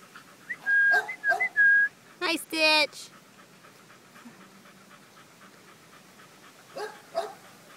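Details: Five-week-old American Pit Bull Terrier puppies, five males and one female born April 14, 2013, give thin whistled whimpers and a rough, buzzy yelp in quick succession, then fall mostly quiet apart from two soft late whines.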